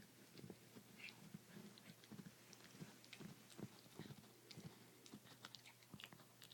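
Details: Chihuahua named ChiChi eating a bone indoors: crunching and gnawing in quick irregular bursts, with sharp cracks and soft wet chews repeating every fraction of a second in a small, quiet room.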